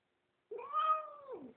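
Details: Female house cat begging to be let outdoors, giving one clear, drawn-out, tonal meow lasting about a second, level then dropping at the end, in a quiet room.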